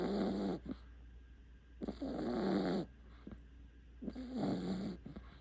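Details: Sleeping five-month-old puppy, worn out after a walk, gives long grating snores with a nasal, droning core, three loud breaths roughly two seconds apart, separated by soft sniffs and quiet gaps.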